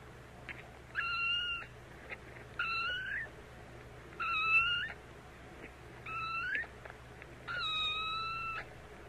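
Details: Kitten mewing in five evenly spaced, flat high calls, each about half a second long and spaced roughly every one and a half seconds, some rising at the end, over quiet background hum.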